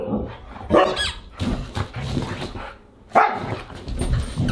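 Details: Siberian huskies at a dinner party, August 30, 2022: two strong, abrupt barks about two and a half seconds apart, with softer grumbling dog sounds and low background noise between them.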